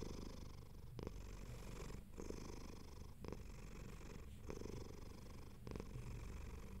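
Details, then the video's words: Relaxed house cat purring while comfy, the deep vibrating rumble swelling and easing in roughly one-second breath cycles, recorded up close in a quiet room. "Cat Purring ASMR"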